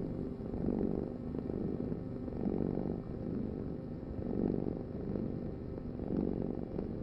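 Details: Domestic cat purring in a deep, steady rumble that swells and fades in slow waves about every two seconds, each breath cycle clearly audible, with no other sounds.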